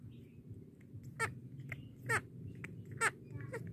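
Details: A baby monkey drinking milk gives short, high squeaky chirps about once a second over a low rumble.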